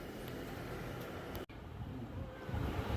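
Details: Steady low engine-like rumble with a faint hum, broken by a sudden brief dropout halfway through, then rising slightly louder toward the end; no animal voice is heard.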